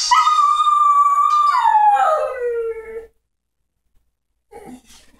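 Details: Sheltie giving one long howl that holds a steady high note, then slides downward into a lower drawn-out tail lasting about three seconds, followed by silence and a short faint whimper-like sound.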